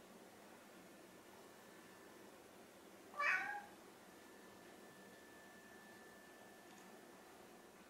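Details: Indoor pet cats, orange tabby Chai and silver tabby Sushi, hungry and unable to wait for dinner; a single short, bright pleading meow in the middle, otherwise quiet room with faint steady hum.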